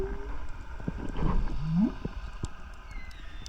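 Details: Whales heard underwater while diving on a reef wreck off Costa Rica give a low, moaning call that rises in a smooth upward sweep. They are loud enough that the diver's chest feels like it is vibrating.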